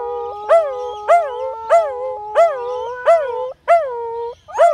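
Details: Husky and Corgi in a howling contest on a noisy afternoon: a sustained wavering howl runs beneath rhythmic, rising-and-falling harmonic howl pulses repeated roughly every 0.6 seconds, with a brief break near the end.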